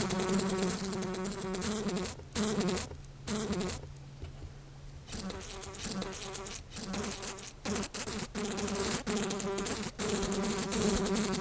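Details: Several house flies buzzing around, the droning hum coming in uneven bursts, cut by many short silences and a quieter, hissy stretch near the middle, then resuming strongly with flickering pitch.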